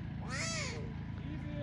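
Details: Newborn tiger cubs abandoned by their mother at Taigan lion park, Belogorsk, Crimea, being shown to the tigress: one loud arched mewing cry, rising then falling over half a second, over a steady low hum and faint voices.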